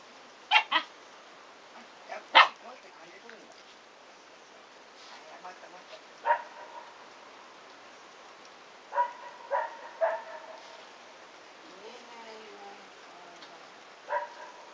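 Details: Playful Shiba Inu pups, three brothers aged 109 days, with the visiting seven-month-old female Shiba Peko; sharp yaps and short harmonic barks come irregularly, some in quick pairs, with a brief whining squeal and faint human voices.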